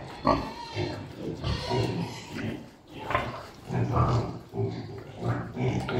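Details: Pigs on a farm during the mating of a sow in heat by a Piétrain boar: deep, rough grunts and groans in irregular bursts roughly every second, with a person talking in the background.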